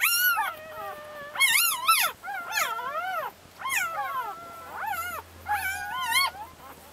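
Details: Labrador Retriever litter of ten puppies with mother Leah, Brazil; thin, wavering whines that climb then drop, arriving in clustered bursts of two or three pups calling together, separated by brief quieter gaps.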